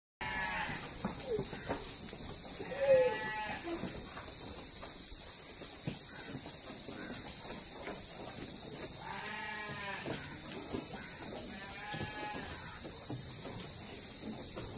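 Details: Female and male goats during mating give wavering, harmonic bleats in short bouts near the start and again around nine to twelve seconds, over a steady high-pitched hiss.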